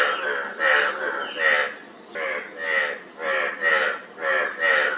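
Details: Frog giving rattling, pulsed croaks in short bursts, about eight in five seconds, each a buzzy throb of rapid clicks, over a faint steady high hiss.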